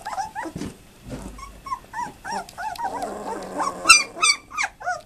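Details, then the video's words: Twelve-day-old German Shepherd pups, offspring of Fan-Widi's HIPPI and Koby von Fidelius, squeal and whimper loudly in quick succession, rising-falling cries overlapping with a rough, noisy grumble and rustling midway through, recorded 18-11-2012. "Schæferhvalpe 12 dage"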